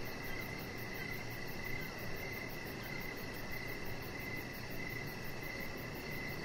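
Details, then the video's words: Crickets chirping outside on a deck in the evening, a chihuahua puppy resting nearby; faint pulsed chirps repeat steadily under a dense, even hiss of background noise. "3 Hours Of Chihuahua Puppy Laying On Deck with Cricket Sounds"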